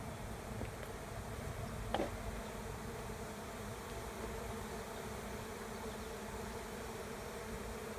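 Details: A swarm of honey bees settling into an empty hive by a driveway, heard as a thick, constant drone of countless wings, with one brief click near the start.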